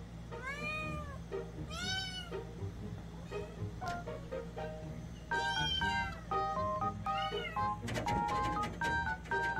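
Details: Pet kitten in a mountain home, adopted 41 days earlier, played with before dawn during heavy early-morning rain: two arching, drawn-out meows early on, then steady musical tones over a low rumble of rain.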